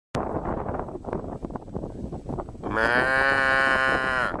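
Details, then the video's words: A cow gives one long, steady, harmonic-rich moo lasting nearly two seconds, starting after a stretch of loud clattering and rustling noise. "TIẾNG KÊU CON BÒ CON BÒ KÊU BE BE"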